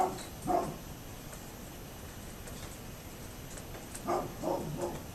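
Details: Neighbour's dog barking, recorded 27 October 2011: five short, gruff barks, two near the start and a quick run of three about four seconds later, over a steady background hum.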